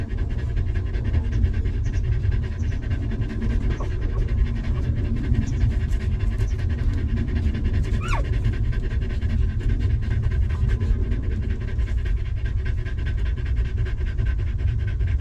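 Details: Rapid rhythmic panting from a stray dog mother with puppies, a family living in a rough place before being sheltered and fed; dense, even breaths throughout, with a deep constant rumble underneath.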